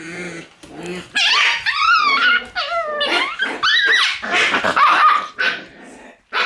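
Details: Shiba Inu puppies in a puppy room, filmed on 1 September: a lively burst of high, bending yelps and squeals overlapping one another, with short growly bursts at the start and a few sharp yips near the end.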